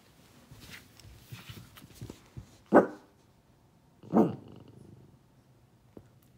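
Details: Sad pet dog at a window: two gruff barks roughly a second and a half apart, heard over a muffled, noisy indoor background with soft thumps.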